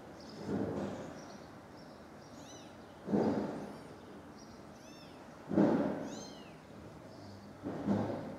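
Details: Stray mother cat calling after finding her kittens dead, filmed at long range: four strong, drawn-out meows roughly every two and a half seconds, while birds twitter with arching high chirps between them and a low hum continues.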